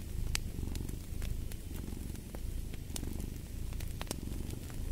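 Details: Cat purr heard next to a fireplace: continuous deep rumble rising and falling in soft breathing cycles, with bright intermittent crackles and snaps from the fire throughout.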